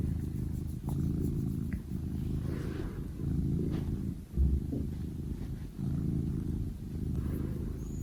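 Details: A domestic cat purring: a low, steady rumble that runs in long stretches with a few brief breaks, and no other clear sounds on top.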